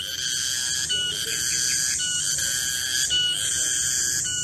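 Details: Garengpung cicada calling in a garden at midday: a loud, continuous whistle-like drone with strong overtones, stepping in pitch and briefly breaking several times over a few seconds.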